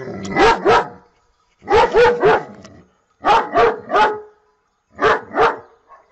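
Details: Barking domestic dog, loud and close, calling in four bouts of two or three sharp barks each, separated by pauses of about a second.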